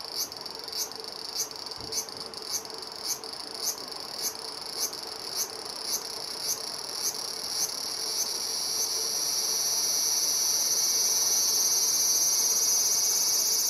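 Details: A male large brown cicada (Graptopsaltria nigrofuscata) on a black locust trunk by a riverbank, sunny early afternoon, early August 2020, Japan, sings to attract a female: quick regular ticks swelling into a steady, sizzling high buzz.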